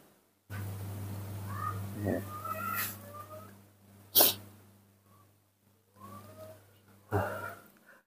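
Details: Spoiled baby monkey Nomi throwing a tantrum while drinking milk in the morning: thin, high squeals rising and falling in short bursts, with sharp noisy bursts near four and seven seconds over a steady low electrical hum.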